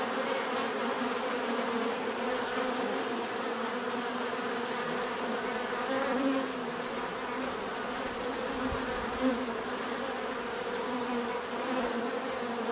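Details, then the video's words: Dense bee buzzing, a steady low drone with passing insects briefly rising in pitch and loudness, plus a soft knock late on. "bees therapy relaxing natural buzzing sound"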